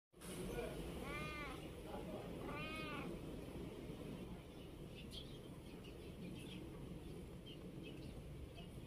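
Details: Sleepy cat that has just woken up gives two lazy, drawn-out meows about a second apart, each with a gently arching tone, over steady background hiss.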